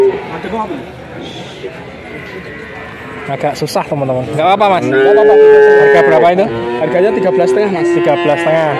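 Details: Young bull calves at Grabag, Magelang, Indonesia, among a group of 19 being bought. A murmur of people and clatter comes first, then a loud sustained moo around midway, followed by a shorter, lower call.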